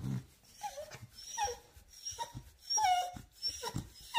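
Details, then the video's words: Female Beagle greeting her human right after waking from a short nap; a run of high whimpering whines, some sliding downward, repeated about every half second, mixed with snuffling breaths. "Cute beagle reaction when she woke up and the first person she sees is her human"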